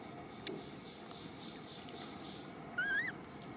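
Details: Smallest baby monkey, Million, crying for her mother Malika: a single wavering, rising whistle-like coo near the end, preceded by a sharp click, over constant low hiss.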